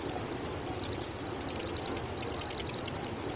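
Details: Cricket calling in the bush in the late afternoon, recorded live: rapid trains of high, thin, evenly pulsed chirps with short pauses between bursts, over a faint low background hum.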